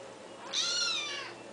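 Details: Pet kitten talking in the morning: a single clear meow lasting under a second, rising then falling with bright stacked harmonics, in a quiet indoor room with a faint steady hum.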